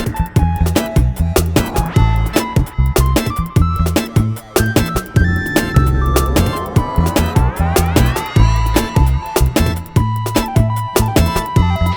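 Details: Punchy funk-style music with bass and sharp percussion plays throughout, with no animal sound audible.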